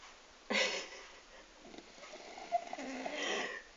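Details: Sleeping French bulldog, aged 12, snoring gently. A sharp snorting intake opens the passage, then a long wheezy, hissing breath drifts along and swells once more before the end.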